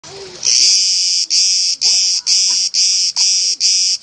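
A cicada gives a loud, harsh buzz broken into pulses of about half a second.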